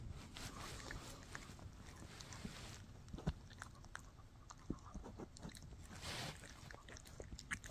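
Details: Mikki, a Shih Tzu, gnaws on a no-hide bully stick: soft, irregular crunches and wet clicks with scattered sharper bites over a low, steady room hum. The sound stays fairly quiet throughout.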